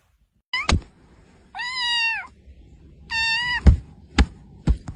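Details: Domestic cat giving two drawn-out, steady-pitched meows about a second apart, each with a slight fall at the end, between sharp thumping knocks; a quieter short mew near the end.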